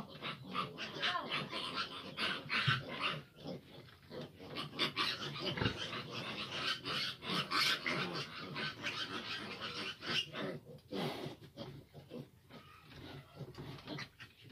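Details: Fifteen large piglets crowd around a sow that struggles to nurse them, filling the pen with a dense, overlapping chorus of sharp, high squeals and chatter at a rapid, irregular pace. Background music plays throughout.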